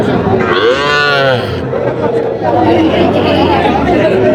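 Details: Sahiwal calves for sale at a livestock market in Natore, Bangladesh, 5 July 2025; one clear arching moo, rising then falling, within the first two seconds, followed by busy market talk.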